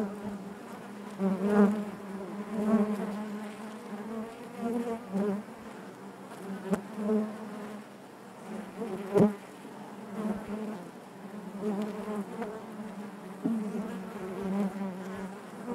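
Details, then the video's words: Honey bees buzzing inside their hive: a dense, steady drone with a low hum that swells and fades in uneven pulses, and occasional sharp clicks or knocks breaking through. "bees therapy hive natural buzzing sound"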